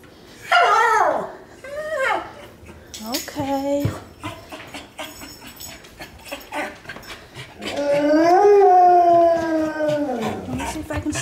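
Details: Pet dogs howling and yodelling while waiting to be fed their supper: wavering, whining howls that bend down and up in pitch, short yelps between them, then a long drawn-out howl, with a person talking and some household clatter.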